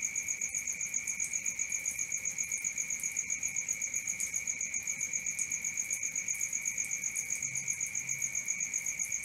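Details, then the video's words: A cricket chirps after dark, a sustained high ringing tone broken into rapid regular pulses near four per second, steady in loudness from start to end. "Cricket 1 hour for Sleeping & Relaxation, Black Screen, ASMR, Dark Screen Nature Sounds"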